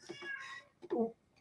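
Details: Female domestic cat meowing indoors during an interview, wanting to join the conversation before food time; a short tonal meow near the end follows a man's speech, in a quiet small room.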